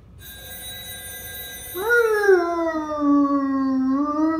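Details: German Shepherd named Jagger howling at a ringing telephone: steady electronic ringing tones first, then a long drawn-out howl that rises briefly, slides lower and holds, while the ringing continues underneath.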